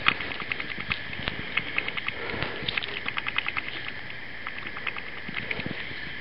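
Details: Raccoon eating watermelon, with quick repeated moist clicks and smacks in steady clusters, a few louder low thumps mixed in, and faint background hiss.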